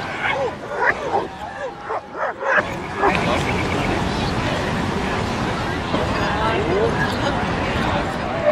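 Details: Dogs at play in a Brooklyn dog park give a burst of short, sharp barks and yips in the first few seconds, then a steady hubbub of people chatting and outdoor city noise takes over.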